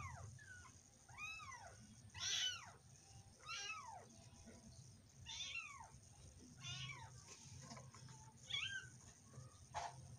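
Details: Domestic cat giving repeated arched meows, each rising and falling, about one per second with brief pauses, some thin and high, over a constant low hum.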